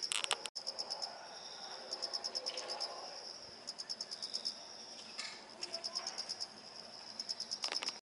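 Autumn insects trilling in a garden, high pulsed chirps repeated in quick bursts.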